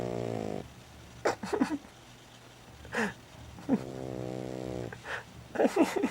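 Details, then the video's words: Lulu, a little female pet dog, snoring while asleep indoors: two drawn-out buzzy, harmonic-rich snores about half a second to a second long, about three seconds apart, with soft clicks and hissing psst sounds from a person in between. "Mi perrita LULU roncando"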